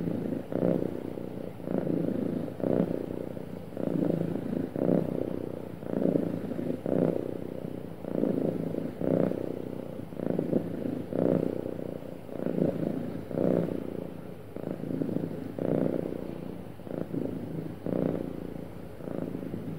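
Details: A happy cat purrs smoothly and continuously, a deep rumbling buzz that pulses with its breathing roughly twice every few seconds over a long, even stretch with light background hum.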